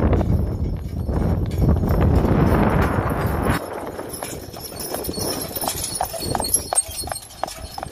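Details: Driven registered Friesian sport horse: a loud rushing roar fills the first three and a half seconds, then crisp hoof clops come through clearly at roughly 200 beats a minute in a loose, slightly uneven rhythm.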